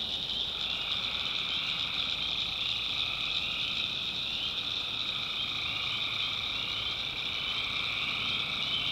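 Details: Nighttime tree frog chorus recorded in swampy North Carolina backwoods, an even wall of overlapping high-pitched trills that barely changes, with faint low background noise.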